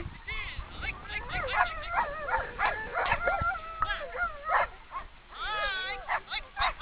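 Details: Borzoi sled dogs on the eastern mountain side of South Korea, giving excited overlapping yips, whines and wavering howl-like cries while sledding, with a steady rush of background noise.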